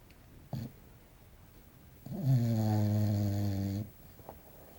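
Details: Sleeping English Bulldog named Belchior snoring indoors: one long, low, rasping snore of about two seconds with strong harmonic buzz, preceded by a brief faint breath.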